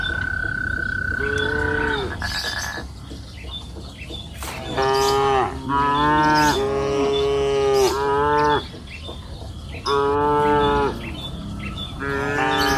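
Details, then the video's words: Several cows on a green pasture hill in the afternoon moo in overlapping bursts. A steady high whistled tone sounds early on, then repeated rich, nasal moos, some rising then falling, continue to the end. "Sound of cows mooing up the green pasture hill in the afternoon"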